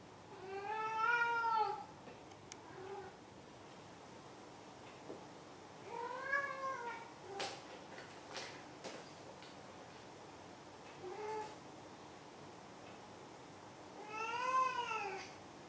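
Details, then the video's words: House cat meowing in a quiet room: several arched, harmonic meows of varying loudness, a loud one at the start and end with softer, shorter ones between, plus scattered clicks and tapping. "鳴くねこ５。 Meow Meow"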